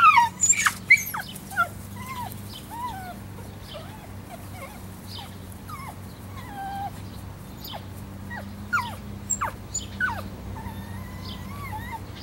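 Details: Female Italian Greyhound outdoors, intensely excited by squirrels, shaking and leaping at a four-foot fence: high, thin whines that slide up and down, irregular and clustered, loudest at the start, over a steady low hum.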